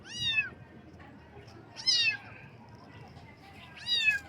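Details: Baby kittens meowing in the morning: three loud, high meows, each falling in pitch, repeated about every two seconds with quiet gaps between.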